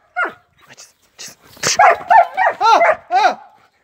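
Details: German Shepherd in guard training, barking: a few short separate yaps, then a fast run of loud arched harmonic barks about four per second.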